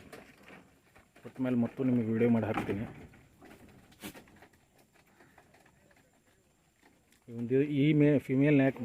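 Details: Tellicherry goats on a farm: two loud, tremulous bleats with a wavering pitch, one early and one near the end, with quieter rustling between.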